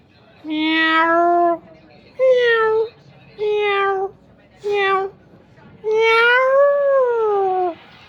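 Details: Mother cat and kitten meowing: five clear, tonal meows with rich harmonics, several steady and level and the last one long, rising then falling, separated by short pauses over light background noise.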